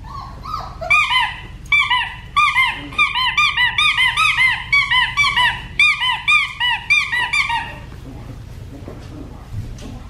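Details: Young black tri female Australian Shepherd, one of Bindi's puppies at Fifteen Acre Farms, Oklahoma, letting out a rapid, insistent string of high squeaky whines, roughly one or two a second for about seven seconds, before falling quiet.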